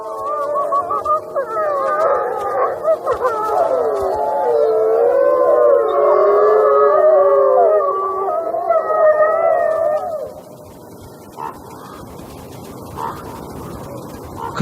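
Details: Wild wolf packs in a territory war, several voices howling together in long, wavering, overlapping tones for about ten seconds, then fading to quieter background sounds.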